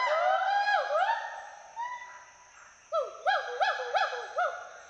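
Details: Two Western hoolock gibbons playing, climbing and swinging through the trees at Hollongapar Gibbon Sanctuary, Assam, giving whoops for social and territorial communication. Rapid arched whooping notes with rich overtones, a brief lull with a drawn-out tone, then a fast run of bouncing whoops.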